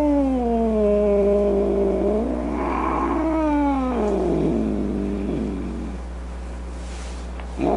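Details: Cat with a wavering, drawn-out yowl that turns into a harsh, broken snarl with uneven pitch swings, then fades into quieter rough noises.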